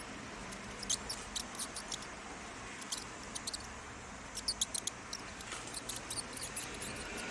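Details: Mouse giving high-frequency squeaks: short, sharp, very high-pitched chirps in quick clusters, one burst early and another denser run midway, then scattered squeaks toward the end, over a steady low hiss.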